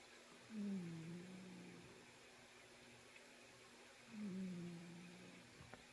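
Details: Domestic cat snoring while asleep indoors: two drawn-out, low, slightly falling nasal tones, each about a second long, roughly three and a half seconds apart, over a faint steady room hum.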